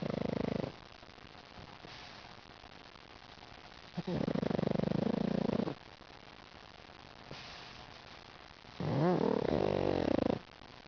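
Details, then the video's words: Lil Mac, a smiling pug, asleep and snoring; three loud rasping, rattling snores of about one to two seconds each, separated by quiet pauses. "Lil Mac snoring"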